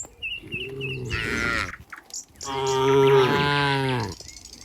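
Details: Cows gathered in a barn with a cowherd nearby: two long, rich moos, the second louder and lasting over a second and a half, with a few faint high chirps of small birds early on.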